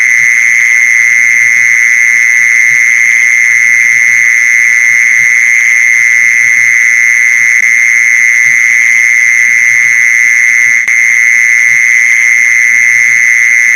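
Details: Steady, penetrating mole cricket trill, the sound used to attract mole crickets, sustained at one high pitch with no breaks, over a faint background of soft low tapping and a single sharp click late on.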